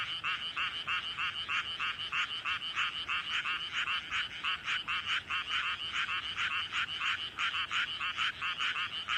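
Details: Countryside paddy field frog, filmed close by with a hugely inflated throat. It gives a long run of grating croaks, roughly one to two per second and somewhat irregular, while other frogs call faintly in the distance.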